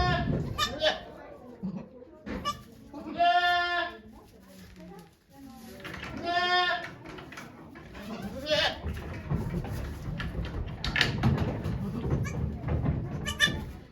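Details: Birthing doe Okayu at Yoshigake goat farm in Japan, 3 May 2023, watched by volunteers as she bears twin kids: two long, wavering bleats roughly three seconds apart, surrounded by people talking and shuffling straw.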